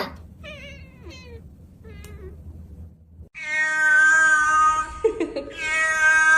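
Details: Domestic cat meowing in a funny pet compilation: short faint mews and chirps early on, then two long loud harmonic meows with a steady tone from about three seconds onward, with people talking and laughing before.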